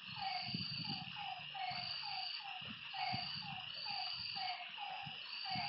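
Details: Lakeside frogs at night giving clipped, falling notes repeated at a steady pace, with pulsing high insect buzzes overhead and occasional low soft thumps beneath.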